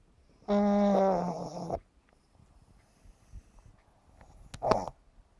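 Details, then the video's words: Pug named Yumaks, a 7.5-month-old pet, asleep and snoring comically: one long voiced, tonal snore lasting about a second, then near silence and a short raspy snort close to the end. "храпящий мопс Юмакс"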